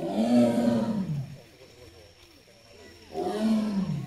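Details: Amur tiger in the Hamamatsu Zoo enclosure, Japan, 24 September 2023: two long, low, droning roars with a rising then falling contour, separated by a two-second quiet gap with faint background murmur.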